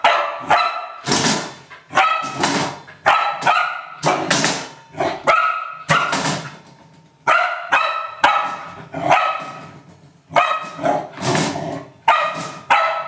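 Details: Playing with a trash can, an Old English Sheepdog gives a steady series of loud, harmonic barks, each followed by a ringing tail, roughly two per second throughout.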